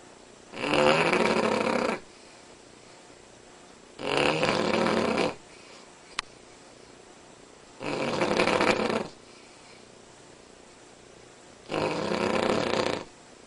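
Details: A Cavalier King Charles Spaniel snores extremely loudly in raspy bursts, each about a second long, with quiet pauses between.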